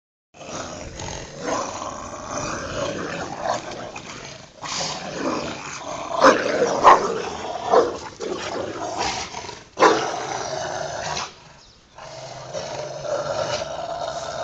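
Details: Two pet Rottweilers, Ceffy and Oscar, play-fighting over their toy in a back yard: rough, rasping growls in uneven bursts with short pauses, swelling louder midway, then a brief quiet gap before more snarling.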